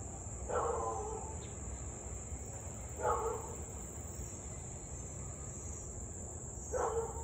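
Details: Husky barking in Louisville at 6:24 pm on 3 August 2021, during nearly 30 minutes of nuisance barking and howling; three short, hoarse barks spaced about three seconds apart over steady high insect trilling and low background rumble.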